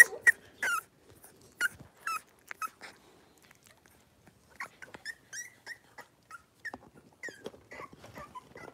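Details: Blenheim Cavalier King Charles Spaniel puppies, a litter of five, in an indoor home puppy pen: scattered short high yips and thin whines, with clicks and shuffling between them and quieter, irregular calls in the second half.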